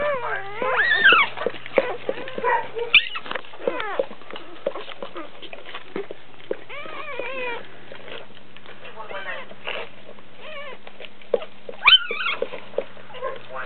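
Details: A Dobermann gives birth to puppies. High, squeaky whines rise and fall in quick bursts, with a steady low hum throughout and occasional handling noise.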